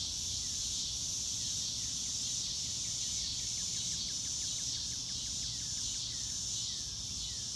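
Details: Crickets in an outdoor nature setting under a blue sky, without music, form a steady high-pitched shrill chorus with a faint pulsing beat. A row of quick, soft, descending chirps sits below it, over a low background rumble.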